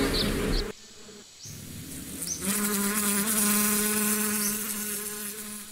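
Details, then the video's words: Close bees giving a steady low, vibrating hum with strong overtones after a short quieter lull; small high chirps sound briefly in the background. "Relax with the sound of the bees"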